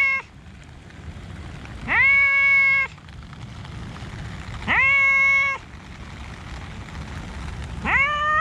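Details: Park cats in the rain; a cat gives three long, loud harmonic meows about three seconds apart, each rising at the start then held level, over a steady hiss of rainfall.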